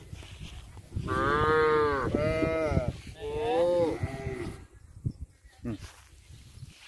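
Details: Punganuru cattle, a miniature cow breed kept at a goshala, giving three loud harmonic moos in quick succession, each about a second long with arched pitch, followed by quieter rustling and short faint calls.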